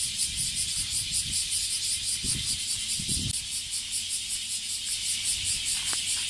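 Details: Bear cicada song from a tree-dwelling male in a Japanese park in the Kansai area; continuous shrill buzz throbbing in regular pulses roughly every 0.4 seconds, with a few soft low thumps and rustles underneath.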